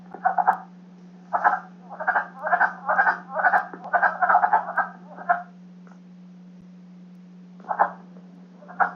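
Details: Male wood frogs in Michigan give hoarse, low-pitched clucking croaks in quick overlapping bursts, a spring breeding chorus; their breeding season lasts only two to three weeks, from late March to mid-April.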